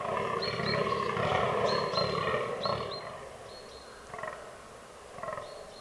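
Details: Fallow bucks groaning during the autumn rut in a forest. A fast run of harsh, guttural belches fills the first three seconds, then single groans follow at intervals, each with a faint high whistle.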